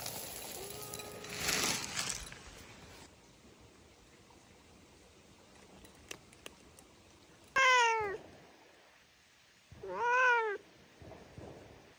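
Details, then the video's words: Domestic cat giving two clear meows, each a harmonic-rich rising then falling wail about a second long, spaced roughly two seconds apart, after some faint rustling and brief clicks near the start. "Cute Meow Meoww"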